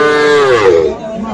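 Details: Cattle at Aftabganj livestock market on 3 February, among small Sahiwal bull and heifer calves for sale. A single loud, high, harmonic moo that holds steady and then dips and fades, with murmuring voices behind.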